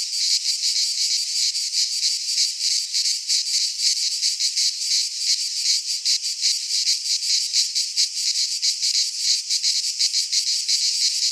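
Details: Cicadas singing in midsummer in a Greek pine forest: a dense, continuous high buzzing chorus with rapid pulsing throbs, steady loudness throughout, no other sounds.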